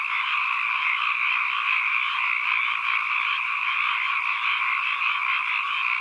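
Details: Continuous frog chorus recorded as environmental sound, many overlapping trills forming a steady, even wall of croaking with a faint upper shimmer and nothing else audible.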